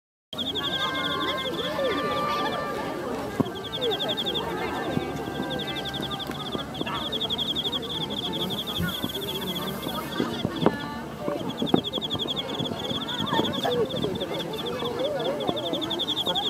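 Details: A cricket chirps steadily in high, pulsed trills among cosmos flowers at a cosmos festival in Mima, Japan, on 3 November 2013, while voices murmur in the background.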